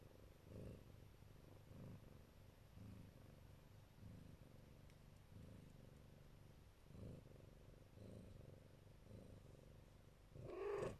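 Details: Protective Siberian Neva Masquerade mother with her kittens: a deep, even purr pulsing about once a second, ending with a short high call.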